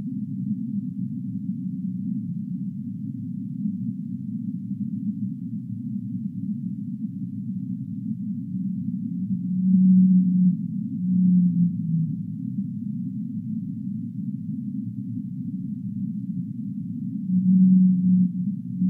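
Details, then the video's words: Singing humpback whale: after a stretch of low murky rumble, several drawn-out deep moaning units appear, one sliding downward, spaced a few seconds apart over a constant muffled underwater hiss. "Humpback Whale Singing"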